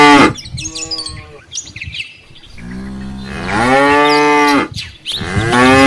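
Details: Cows and calves of a tame herd on the way back to the farm barn from a rice field; a deep moo swelling into a long, loud bellow of about two seconds, then another starting, with bird calls behind.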